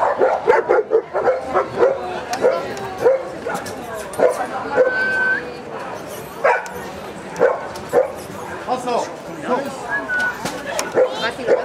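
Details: German shepherd recorded in Gibraltar in 2013 barks steadily about once a second, with a few whining tones between barks and voices behind.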